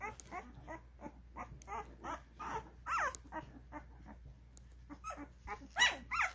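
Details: Twelve-day-old Cane Corso puppies at a kennel, at the start of recall training, give a run of short high squeaks and whimpers about every third of a second, with a few louder rising yelps near the end.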